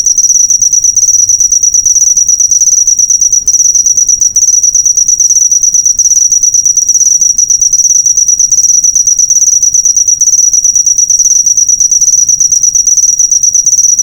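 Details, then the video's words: Shrill cricket chirping as a training track for caged birds, a continuous rapid pulsing trill held at one high pitch throughout, the background otherwise quiet. "Masteran burung suara jangkrik mewah yg paling di cari"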